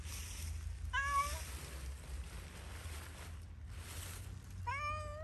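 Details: Zoey the cat, out playing freely in Pushkin Park, lets out two drawn-out meows separated by about three and a half seconds, with a low steady rumble and faint rustling around them.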